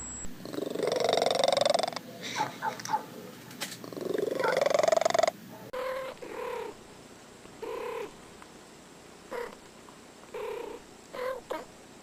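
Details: Domestic cats in a funny noises compilation: a long rising whiny meow, then after a cut a series of short repeated chirping mews roughly every second, quieter and evenly spaced.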